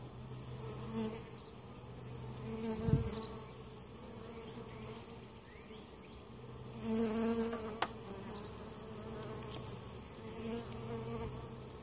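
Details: Honey bees droning in a hive at Mt. Perry, Ohio, during an inspection where queen and capped brood were found; steady low buzz with higher whining notes rising twice, plus a thump and a sharp tap from hive handling.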